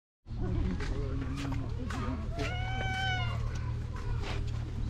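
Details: A tanuki-patterned cat, fluffier with its winter coat, has its belly petted vigorously and lets out one clear, drawn-out, slightly falling meow about halfway through, amid a person talking and a steady low hum.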